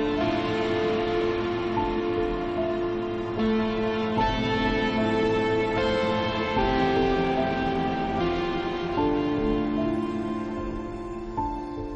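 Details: Soft, slow instrumental music with sustained tender tones fills the whole stretch, without any animal sound.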